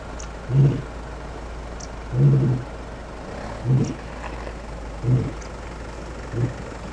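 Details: Male lion in the far southern Kruger National Park during a morning territorial dispute at the start of a takeover; deep grunts repeat roughly every one and a half seconds, each a low booming burst, over a steady vehicle engine hum.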